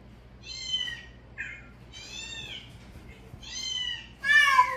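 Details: Cats reacting to a calling sound give a series of high, harmonic meows, some rising and some falling, spaced about a second apart. The final meow is the loudest and strongest. The room is otherwise quiet.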